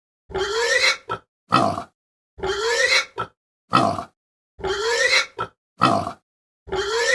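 A pig gives coarse, nasal grunts in short bursts, repeating roughly every two seconds.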